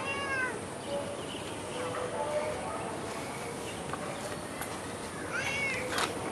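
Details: Domestic cat roaming outdoors in Singapore gives two short wavering meows, one at the very start and another near the end, set against a steady outdoor hiss with a few faint clicks in between.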